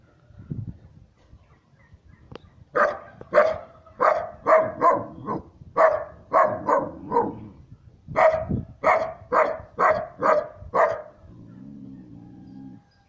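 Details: Siberian Husky puppy, three months old, barking at an unfamiliar person. It gives a steady run of about seventeen sharp, bright barks, roughly two per second with short gaps, then a low drawn-out tone at the end.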